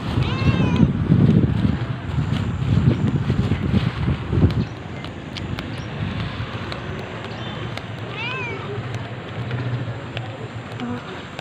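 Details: Rescue cat Bernie, found as a kitten at a street corner in the Philippines, gives a few rising-then-falling meows near the start and again around eight seconds, over low rumbling traffic and outdoor noise.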